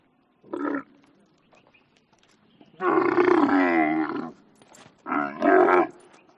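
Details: Camel making a brief grunt, then a long rasping roar of about one and a half seconds, followed by a doubled groan.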